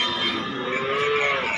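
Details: Cattle at Basunia Haat livestock market in Domar, Nilphamari district, Bangladesh, during nonstop rain; one drawn-out, tonal moo lasting over a second, gently rising then falling, heard over a steady wash of crowd and market noise.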